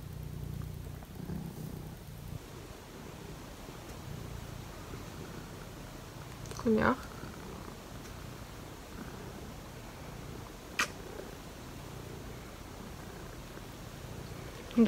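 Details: Cat purring on a cold morning, a steady low rumble sustained throughout, with brief clicks and knocks and a few soft words nearby.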